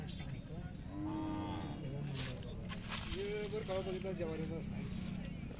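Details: Khillar cattle, young bulls and bulls offered for sale at a village fair in Kole, Sangola, Solapur district, held 18 to 22 May 2024; one low, drawn-out moo early on, followed by men talking in Marathi.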